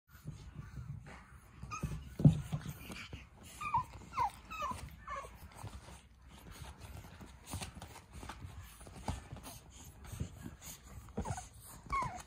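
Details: A male pug puppy, affectionate and friendly, gives thin, high whimpers that slide downward, in small bursts over soft rustling.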